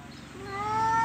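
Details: An orange house cat answers a person talking to it with a single loud, drawn-out meow that rises steadily in pitch and swells in volume over about a second.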